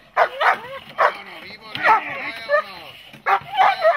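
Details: A dog during protection training gives a few sharp barks mixed with high, sliding whines, with a handler calling out encouragement in Czech between them.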